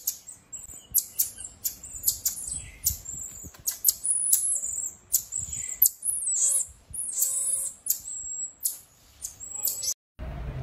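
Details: A pygmy marmoset, a tiny finger monkey, gives a rapid stream of very high, thin chirps and short whistles. Some are brief clicks and others are longer sliding tones, all bunched closely with faint low rumbles underneath.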